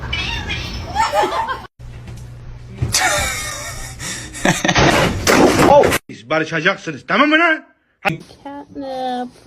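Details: Pet cat in a comedy cat montage. Human speech and busy background noise dominate at first, then two or three clear, bending meows come near the end.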